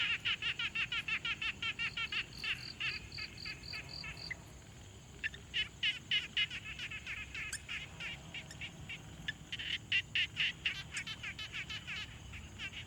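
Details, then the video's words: Frog chorus at a quiet pond, recorded in the field with a Tascam Portacapture X6: rapid trains of raspy clicking pulses, several callers overlapping, with a clearer tonal run of repeated notes near the start and a brief lull midway. "Frog Sounds| #001 |Quiet Pond Nature Ambience"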